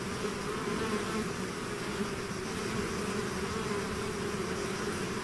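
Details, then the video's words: Bees swarming out of their hive make a continuous thick buzz, layered wingbeat tones holding steady throughout with no pauses and no other clear sounds. "bees therapy swarm natural buzzing sound"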